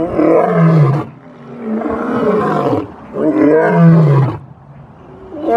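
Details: Lion roar, used to signal location, display strength and warn off lions from other prides: two long, loud, deep moaning roars, each about a second and a half, separated by a quieter breathy pause.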